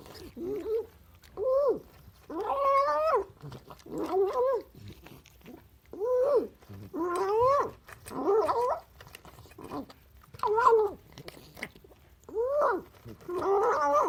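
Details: Excited hungry cat vocalizing while eating breakfast: a long series of warbling, rising-and-falling moaning cries, some short and some drawn out, broken by chewing and eating noises.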